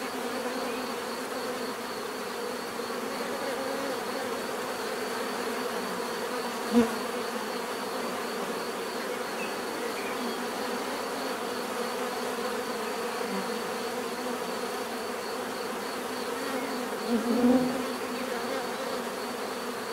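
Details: Bees humming continuously in a natural setting, an even, dense buzz with a high thin tone on top; two short louder bursts stand out where single bees fly past nearby.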